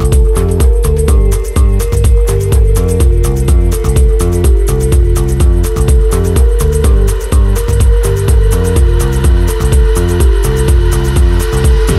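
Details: Upbeat electronic dance music with a pounding bass beat and repeating synth line plays throughout, with no animal sounds.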